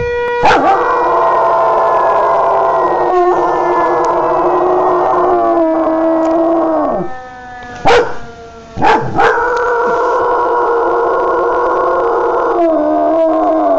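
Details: Jo the dog howling at a tornado siren: long, wavering, harmonic-rich howls that slide and pulse, broken around the middle by a short dip and a few sharp clicks before the howling resumes.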